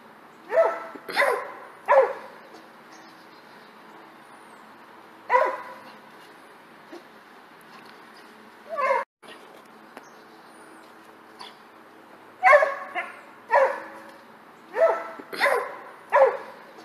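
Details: Pet dog in a funny clip of it jumping in graceful form; about ten sharp barks, some in quick pairs, scattered with quiet gaps between them.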